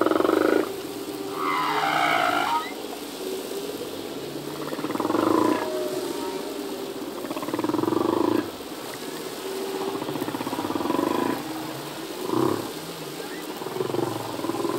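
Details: Male humpback whale singing in the ocean, songs changing yearly as new phrases are learned: a sequence of buzzy pulsed moans and brief higher squeals, repeated irregularly over fifteen seconds, with quiet hiss between units.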